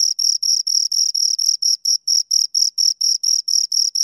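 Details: Two crickets chirping close up, a clean high-pitched pulsed trill of evenly spaced chirps, about four per second, with a fainter higher overtone band; no other sounds.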